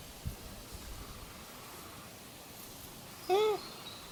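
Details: Wild Japanese macaque, one of the monkeys answering each other's calls, giving a single short, clear, arching tonal coo with rising then falling pitch near the end, over faint outdoor background hiss.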